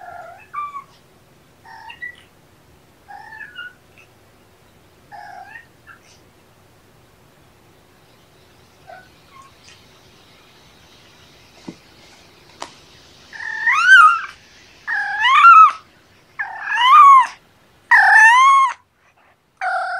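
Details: Indoor kittens Champagne and Mimosa, roadside rescues at Purrfect Pals, with talkative Champagne up close; several quiet high mews, then a run of five loud, bending meows about one per second, each rising then dropping in pitch.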